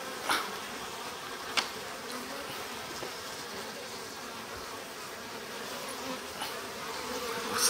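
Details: A spring colony of Japanese honey bees, darker drones included, hums steadily inside a stacked-box hive after its sliding bottom board is opened; a constant buzz with a few sharp taps and knocks from handling.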